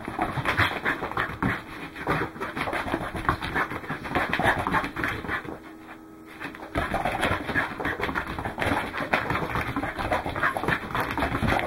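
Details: Running Welsh Corgi Goro, filmed 12 December 2010, breathes hard in fast, rough, continuous pants, with a brief pause near the middle before the rapid huffing resumes.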